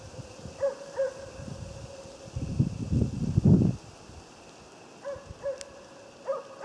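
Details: Moose-hunting Jämthund Otis gives a few ringing barks in short bursts, separated by a spell of loud rustling through undergrowth, then barks again near the end.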